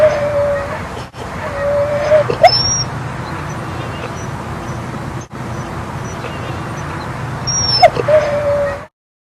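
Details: Dog at Seal Point Dog Park on the western side of San Francisco Bay, December 7, 2015, on an outing with Rosy and Rocky; thin, high, drawn-out whines and yips come in bursts near the start, middle and end over a low outdoor rumble.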